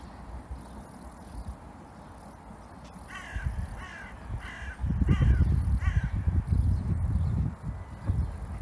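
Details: Saber, a German Shepherd reunited with his owner after more than two weeks, lets out five quick, strained, harmonic yelps in a row midway through, followed by heavy low rumbling handling noise.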